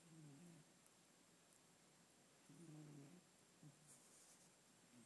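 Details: Domestic cat snoring while asleep indoors: faint, low, buzzy harmonic snores drawn out in slow breaths, a few seconds apart, over a steady quiet room hiss.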